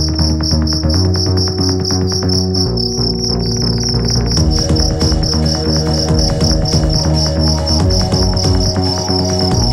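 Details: Fighting cricket sent from the city of Bandung, being tested: rapid, bright, high-pitched pulsed chirping that runs steadily throughout, over loud, droning low tones and a dense background buzz.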